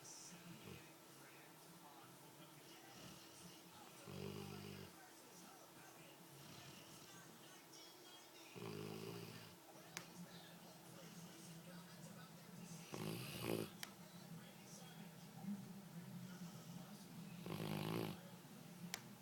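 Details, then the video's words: Two sleeping dogs, Dee dee and Lillie, with Dee dee the loud one: rough, low rasping snores come in separate bursts about every four to five seconds over a steady hum, with faint speech in the background. "Snoring dogs"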